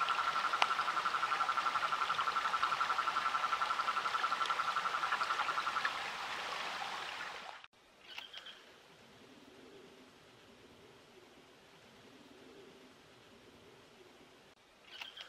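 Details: SE Brazil rainforest frog calling in a regular rapid series of pulses on one mid pitch for about six seconds over loud hiss, then a quieter stretch with faint low notes and occasional higher chirps.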